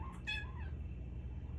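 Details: Fennec fox (Vulpes zerda) gives brief, high, whiny cries with a bright nasal tone, "arguing" with its owner while agitated by someone else on the couch.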